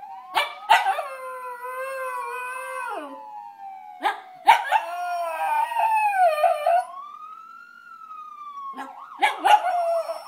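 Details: Male Maltese poodle howling along to a fire truck siren: long, wavering, sustained howls with sharp onsets, pausing and resuming, while a siren sweeps up and down in the background.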